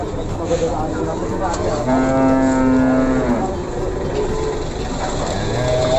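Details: At the Pasar Pon livestock market in Ambarawa, a Simmental cow gives one steady, low, level moo lasting over a second, set against constant murmur of traders and crowd noise.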